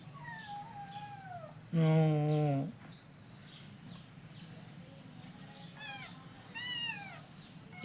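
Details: Hungry kittens waiting for breakfast give several short, bending meows at the start and again near the end, broken by a loud low thump and a person talking.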